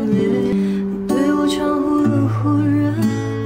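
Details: Strummed acoustic guitar music plays with bright plucked notes and a faint hint of singing, with no animal sound.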